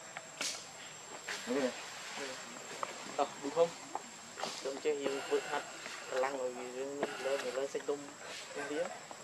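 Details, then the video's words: Hungry baby monkey Leo Rainbow, very angry and begging its mother for milk, gives a run of wavering, harmonic whining cries in short bursts, repeated through the recording, over a steady thin high-pitched whine in the background. "Rainbow Very Angry Need Milk Much I Smart Cute Lovely Baby Monkey"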